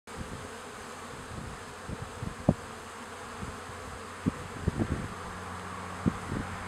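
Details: Honey bees bringing in bright orange pollen, their low droning hum rising and fading as individuals pass close, with a few sharp knocks and clicks over a soft steady background.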